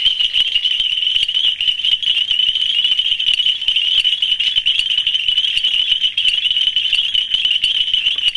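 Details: A dense mating chorus of nitid reed frogs (Hyperolius nitidulus) in Ghana gives high, rapid clicking and rattling calls in a steady, unbroken din.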